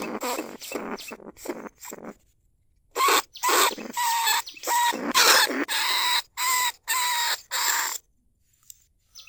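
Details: Lesser bandicoot rat calling other rats from inside a trap cage, rice-field recording from Na Lao, Nong Khu Phai, 2569. Softer scratchy squeals come first, then a run of louder buzzy squeals before the sound drops away.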